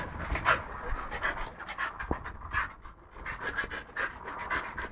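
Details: A male Siberian husky pants rapidly in short, breathy bursts with a brief whine mixed in while playing with a hedgehog.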